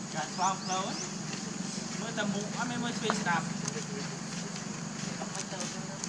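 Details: Baby monkey calling its mother for milk: short, squeaky, wavering cries come in quick bursts near the start and again around the middle, over a steady high insect drone and faint outdoor rustling.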